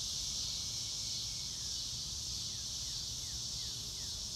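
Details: Crickets in a grassy outdoor setting under a blue sky, live sound without music: an unbroken high, shimmering trill, punctuated by several brief downward-slurred bird whistles and a constant low murmur.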